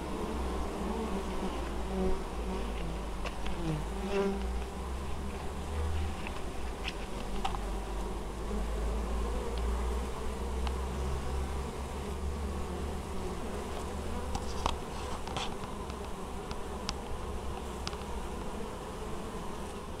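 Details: Honey bees at an apiary in Moszczanka, Opole Voivodeship, Poland, on 19 August 2013, working intensively while carrying honeydew; a steady low hum of many bees fills the air, with brief higher buzzes of single bees passing close.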